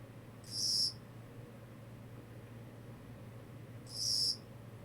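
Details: Two short, high chirps from a Kogata cricket, roughly three and a half seconds apart, each crisp and bright against near silence with a steady low hum.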